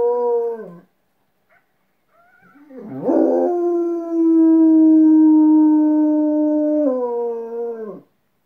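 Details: Cujo the dog howls back at coyotes: a short falling howl, a pause, a rough rising onset, then a long steady tone with a brief downward step before fading out.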